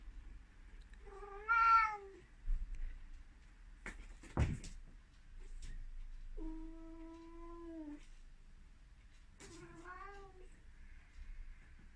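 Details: An excited Ragdoll cat running around gives three drawn-out, harmonic meows, one wavering and another held flat, with a few thumps between.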